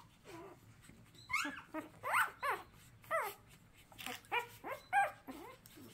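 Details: A hand-reared puppy that lost its mother before its eyes opened cries in a run of high, wavering whimpers. Each one bends up and then down, about nine in six seconds, over a low steady hum.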